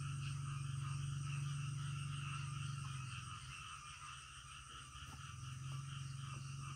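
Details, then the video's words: Frogs calling in the middle of the night: a deep, rapidly pulsing low drone runs throughout, with steady higher trilling layers above and a few faint clicks. "SUARA KODOK DITENGAH MALAM"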